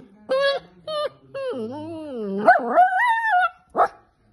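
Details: Poodle dog 'talking': a string of short tonal yelps, then a long bending, wavering whine that swoops up and down, ending with a sharp squeak.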